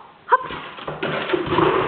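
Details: Border Collie named Stroszek, 15 months old, playing at home indoors; one short, sharp bark right at the start, then rustling and handling noise in the room.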